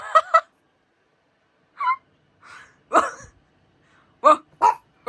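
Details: Pug barking in a quick double bark, a pause, then scattered harsher yaps and barks at irregular intervals.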